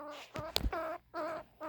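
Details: A squirrel about 10 weeks old gives a series of short, nasal, tonal grunts, each about a third of a second with brief pauses, after being introduced to a cat. The grunts express displeasure, and a sharp click sounds between the first two.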